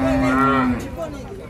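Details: Sleepy cattle coming down from a truck. A steady, low, drawn-out moo holds one even pitch for under a second, then fades into a softer tail with faint background noise.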